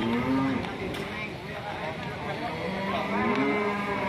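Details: Fierce, raging cows causing panic among their handlers: short low moos with a rising, wavering pitch, set against a busy background of voices and rumbling engine noise.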